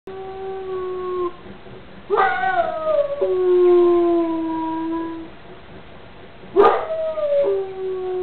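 An Alaskan Malamute howls in long, mellow, wavering tones that slide gently downward.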